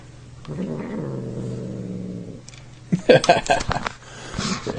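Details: Domestic cat making weird sounds while being poked during eating: a low, steady moaning growl for about two seconds, followed by sharp clicking and crunching noises.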